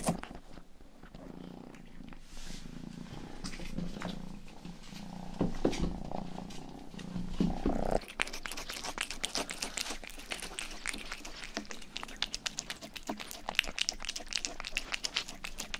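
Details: Domestic cat Rang-i, the household's youngest, purs with a low throbbing drone for eight seconds, then switches to brisk, crackly licking of an ear microphone, a fast run of wet clicks over a faint purr.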